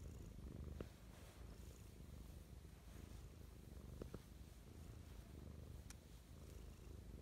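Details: House cat giving loving morning purrs, an unbroken low throbbing rumble with a few faint ticks and brushing sounds.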